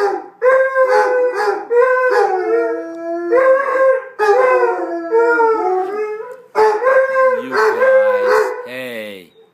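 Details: Putter and Birdie, a pair of Basset Hounds whose play barking turns into howling: rhythmic pulsed howls in bursts, wavering and bending, with short gaps between bouts and a person's voice at the end.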